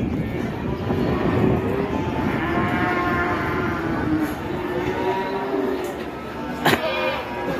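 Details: Raging cattle being let loose among onlookers, the elderly handler being scolded; faint drawn-out lowing partly buried under crowd noise and people talking, with a sharp clack near the end.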